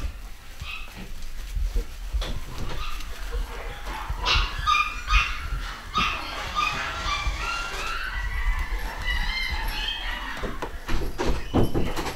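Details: Scottish Terrier puppies from a new pedigree litter make many overlapping high, thin whimpers and squeaky yips, thickest in the middle stretch, with low handling noise underneath.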